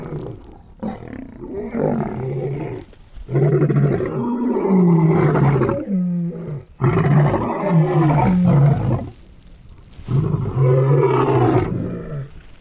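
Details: White lions fighting, roaring and snarling in harsh, deep bursts of a few seconds each, with short pauses between.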